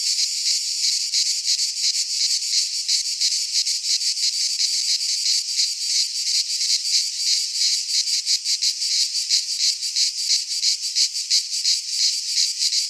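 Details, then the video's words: Midsummer cicada chorus in a pine forest in Greece, a loud unbroken shrill buzz pulsing rapidly, roughly three throbs per second, with nothing else standing out. "Cicadas singing in midsummer - Nature sounds from the Greek fauna - Sounds of cicadas"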